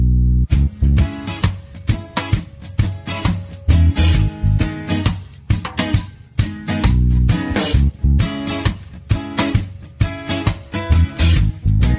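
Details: Strummed acoustic guitar music with a bass line plays throughout, and no animal voice can be heard.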